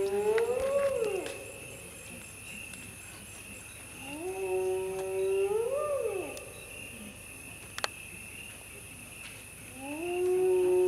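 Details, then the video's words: Hyenas at night in the Masai Mara give long, rising whoops, each sweeping upward in pitch, repeated every few seconds. "Sound of hyenas at night in the Masai Mara"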